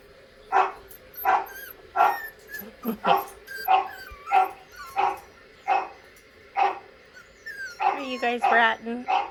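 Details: Dog barks played to young miniature schnauzers: a steady run of abrupt, clipped barks about one a second, ending in a burst of high, wavering whines and yelps.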